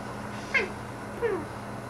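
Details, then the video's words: Salomon, a pet cat indoors, talking to birds outside the window: two short chirping calls, each sliding downward in pitch, about 0.7 seconds apart, over a steady low indoor hum. "Cat Talking to Birds"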